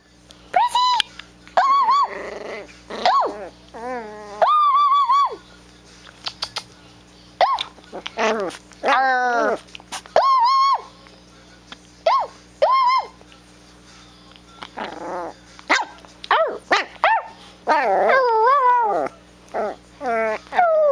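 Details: Chiweenie puppy named Presly, one to two months old, back talking while fighting with its mother: a busy run of high whining yips and short yelping barks, many with arched rising-falling pitch, separated by brief pauses, a steady low hum underneath.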